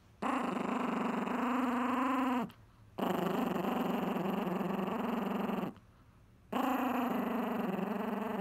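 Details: Chihuahua guarding his pizza crust indoors with loud, sustained, pulsing growls, three long bursts of about two to three seconds each with short silent breaks between them.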